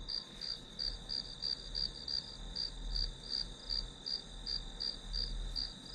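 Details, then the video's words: Grass insects used as background for an hour-long study session: a high, bright chirp pulsed about three times a second over a steady shrill ringing tone, with a faint low rumble beneath. "풀벌레 소리"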